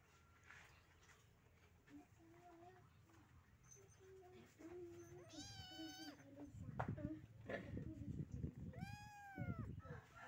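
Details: Two rescued Persian kittens: two loud, drawn-out meows, each rising then falling, about three seconds apart, with soft chatter and human voices beneath and handling noise toward the end.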